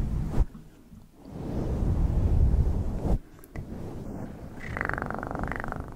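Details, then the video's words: ASMR recording of a cat purring: a strong, vibrating low drone that rises to a loud peak, pauses briefly, then resumes alongside a faint higher hum. "ASMR 1 Hour Of Best PURRING sounds"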